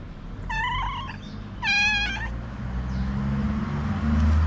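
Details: Two clear meows from Snow White, a cute stray cat who wants love and food, the second louder and rising, followed by low traffic-like rumble.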